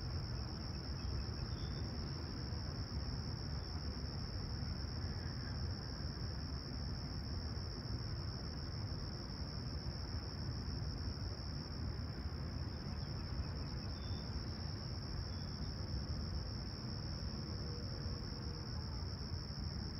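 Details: Crickets at sunrise on a clear, calm summer morning at Toronto's Humber Bay Shores, July 28, 2020, 20ºC: a steady, unbroken high-pitched trill runs throughout over a deep low rumble of distant traffic, with two brief faint bird notes.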